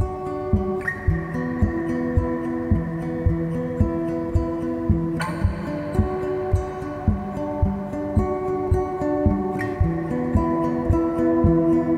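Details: Gentle acoustic guitar music plays steadily with plucked notes and soft strums, with no animal sounds.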